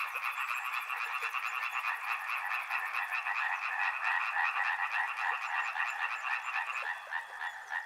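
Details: Frogs by a river, loud overlapping croaking pulses forming a dense rattling chorus, with a fine high-pitched trill over the first three seconds before fading out.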